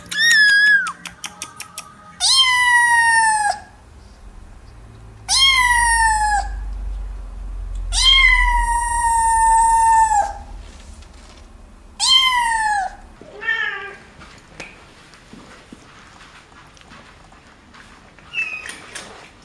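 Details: A cat giving long drawn-out meows, each lasting one to two seconds with a falling tail, five loud cries spaced a few seconds apart, then softer shorter mews, low hum beneath.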